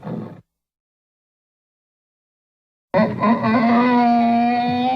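A donkey brays, a loud harsh tone held for about two seconds after a brief opening grunt.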